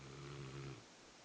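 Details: Rottweiler snoring loudly indoors; a low rumbling snore with a steady buzzy drone lasting under a second, then fading to quiet room noise.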